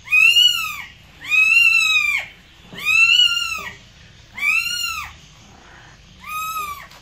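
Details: Cat giving five loud meows in a row, each arched in pitch and roughly one second long, spaced about every one and a half seconds, the last one softer; indoor quiet with faint low background hum.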